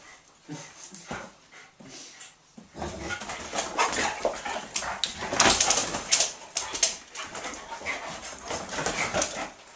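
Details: Otterhounds Rocky and Rosie at play-wrestling produce a rapid, uneven stream of snorting, panting and scuffling noises, sparse at first and then dense and loud through the second half.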